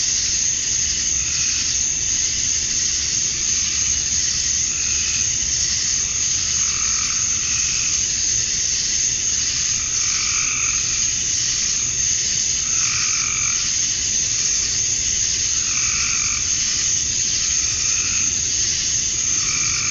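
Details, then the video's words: Cicadas at dusk on a Georgia summer night, USA, the males chirping to draw in females: a continuous piercing high buzz with irregular lower warbling pulses returning roughly every second or two. "Cicadas at Dusk, Summer Night"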